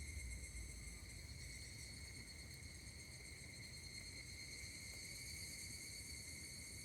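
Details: Higurashi cicada recorded 16 August 2024 at Kashima Jingu, Kashima city, Ibaraki Prefecture, Japan; a sustained high metallic trill that never pauses, rich in upper harmonics, over a faint low ambient rumble.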